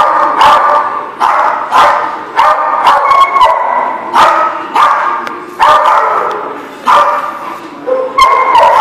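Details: Dogs recorded on 15 December 2017 bark continuously as a group, loud harsh barks overlapping in rapid bursts roughly every second, with occasional higher yelping notes mixed in.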